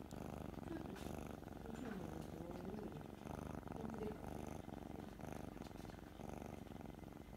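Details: Kitten purring while being petted on the forehead, a steady low rumbling purr throughout with faint soft vocal sounds and some background room noise.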